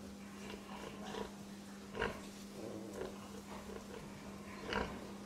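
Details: Pig grunting softly, with a few brief nasal grunts spaced about a second apart and one slightly louder near the end, over a constant low hum.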